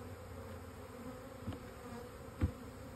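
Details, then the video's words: Honey bees buzzing in a steady low drone with a harmonic band near 500, two brief louder thumps or passes breaking the hum. "Honey Bees"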